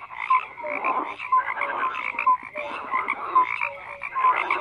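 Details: Frogs in a dense croaking chorus, overlapping rattling croaks and short tonal notes around the middle range, pulsing roughly every second, with steady layered calling throughout and no other sounds.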